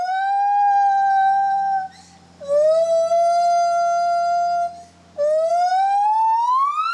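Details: Gibbon pair duet in the Asian forest, the partners alternating without overlapping, marking their territory and warning off intruding gibbons: loud, pure sustained whistles, one steady, the next gently rising, the last climbing higher, with short pauses between.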